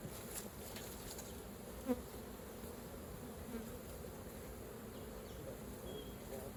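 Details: Honey bees at an opened hive while raw honey is collected: a steady low droning hum fills the recording, with one short sharp click near the middle.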